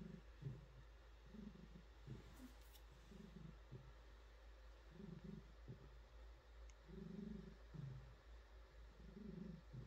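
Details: Female pet cat purring while being petted and stretching; a deep, soft rumbling purr pulses in repeated breaths about every one to two seconds over a quiet room hum.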